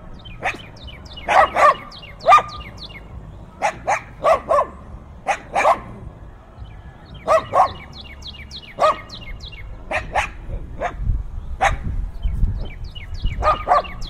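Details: Several dogs barking fiercely, recorded with binaural in-ear microphones in strong wind: irregular volleys of rough barks throughout, with faint, quick, high descending bird chirps in the background.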